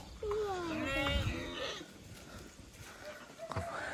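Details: Sheep in a village garden visited in the morning with family: one long, wavering, harmonic bleat lasting about one and a half seconds, with people talking and calling nearby.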